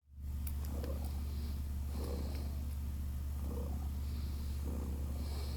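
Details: Six-day-old domestic kittens, Naoki and Kit, purr softly while drinking: low rumbling pulses about once a second over a constant deep hum, with faint clicks above.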